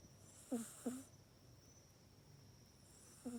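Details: Domestic cat Mac sleeping in its cat bed at night, snoring softly. Two quick clipped snorts in close succession, then a pause of over two seconds before another short nasal snore begins, breathy hiss over each.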